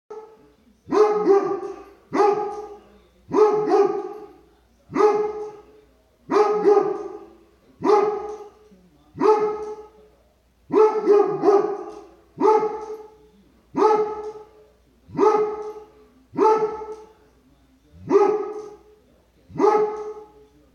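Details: Dobermann barking at squirrels: loud, deep barks with harmonic layers, delivered singly or in quick doubles roughly every one to one and a half seconds throughout, with short silent gaps between.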